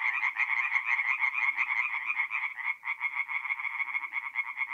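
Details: Tree frogs singing together at night in a north-east Italian forest pond in mid-April, rapid croaks pulsing about three per second in overlapping bursts, with a brief dip near the middle.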